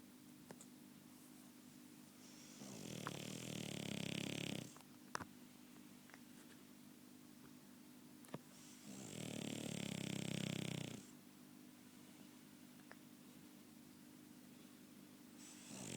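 A sleeping French Bulldog gives deep, rattling snores, each a harsh, wheezy breath lasting about two seconds. Quiet pauses of several seconds separate the snores, with a faint steady hum in the room.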